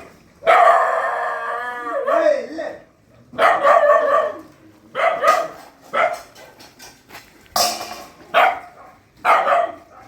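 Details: Shelter puppies scuffling at night feeding: a drawn-out whining yelp at the start, then a string of short sharp yips and barks roughly every second, with people talking in the background.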